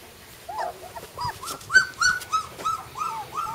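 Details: Flat-coated retriever puppies, brother and sister littermates, giving short high whimpers and squeaks, some rising then falling, about three per second, starting soft and growing louder and more insistent toward the end.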